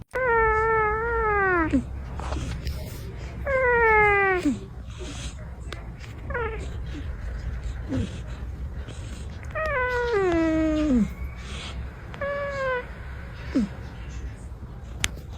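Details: Orange cat asleep and napping, making squeaks and dramatic sounds: six harmonic, descending cries, each sliding down over about a second, spaced every two to three seconds over a steady low rumble.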